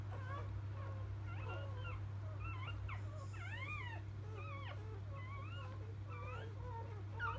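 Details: Just-born field Labrador Retriever puppies whine with high, curving squeaks and quivering cries, several pups overlapping irregularly, over a persistent low hum.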